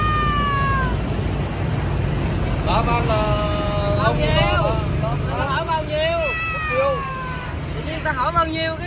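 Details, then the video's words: A Persian cat at Quán Tiểu Hổ mews repeatedly, with bent, wavering cries following one another closely over people talking and a low background rumble. "Quán Tiểu Hổ Hôm Nay Có Một Bé Mèo Ba Tư."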